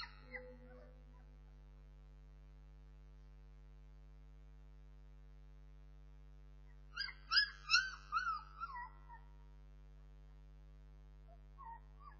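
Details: Bernese Mountain Dog puppies give a burst of high, whiny whimpers and yelps, each sliding downward in pitch, bunched together over about two seconds midway through, with a faint whine near the end over a steady low electrical hum.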